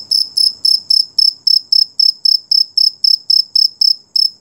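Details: A rare beetle heard at night gives a run of sharp, high-pitched buzzing pulses, evenly spaced at roughly four per second. Each pulse is strong and rasping, with only faint low background noise.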